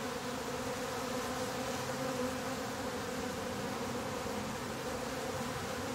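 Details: Top bar hive of honey bees with the bottom board closed up: a loud, continuous drone with steady low and middle tones held throughout six seconds, a broad hiss above.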